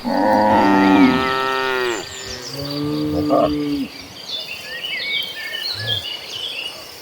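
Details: Cattle herd running across green pastures, one cow giving a long harmonic moo that falls in pitch at its end, then a shorter lower moo, with bird chirps in the background.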